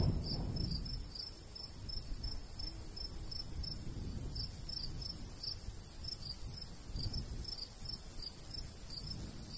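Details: In a golden wheat field on a summer day, crickets keep up a thin, rhythmic chirping of rapid high pulses, with gentle breeze gusts rising and fading in the low range.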